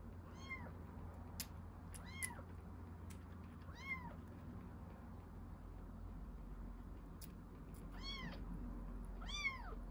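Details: Baby rescue kitten during milk feeding: high, arching mews repeated at irregular intervals, about six calls with a quiet gap mid-clip, sharp clicks and a low room hum behind.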